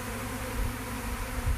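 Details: A swarm of western honey bees, many still in the air while being collected into a box, makes a steady, low, droning buzz with slight swells in loudness.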